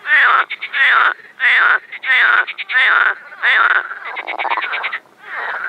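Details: Mating frogs in an overgrown spring pond, Moscow region, Russia, May 2021: loud, harsh croaks in regular bursts about half a second long, some breaking into rapid rattling pulses, with short gaps between.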